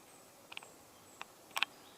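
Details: Speckled bush-cricket (Leptophyes punctatissima) calling: three sparse, dry, very short ticks spread over two seconds, the last one doubled and louder, against a quiet, faintly hissing background.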